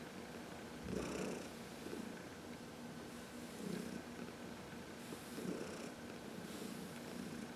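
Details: Heidi, a 14-year-old senior cat adopted from the Humane Society of New York City, purring contentedly during a massage in the sun on March 19, 2021; soft breathy pulses swelling and fading every couple of seconds.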